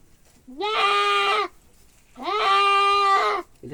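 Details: Two sustained, quavering bleats from a male goat during castration, each rising sharply at the start and lasting close to a second, with a short gap between them.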